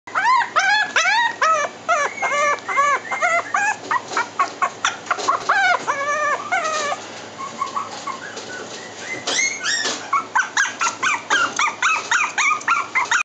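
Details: Chihuahua giving a rapid, continuous series of high, arching whines and yelps, roughly two per second, loud and close, with a brief lower, noisier stretch midway before the yelping resumes.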